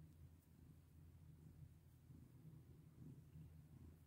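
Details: Pet cat being stroked gives a short stretch of deep, rumbling purr, low and unbroken, with faint handling noise.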